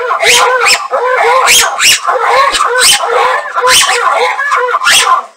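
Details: Ruffed lemur of Madagascar calling in a loud, harsh chorus: mid-pitched, harmonic bursts with noisy overtones follow each other every half second or so, overlapping almost without pause for five seconds.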